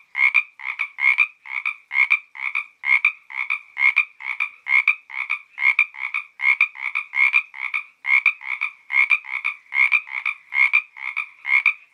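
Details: Along the Santa Ynez trail, Topanga State Park, a frog gives a long run of harsh double-pulsed croaks, roughly two to three per second, rhythmic and unbroken against a quiet background.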